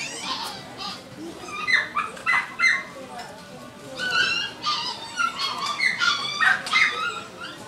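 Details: A 50-day-old Chihuahua puppy, newly arrived at a shop, gives high, thin whimpers and squeaky yips in quick, uneven bursts.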